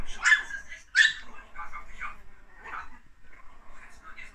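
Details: Chihuahua puppies giving two sharp, high-pitched yips close together near the start, followed by softer, broken whining and murmuring sounds, with a person talking nearby indoors.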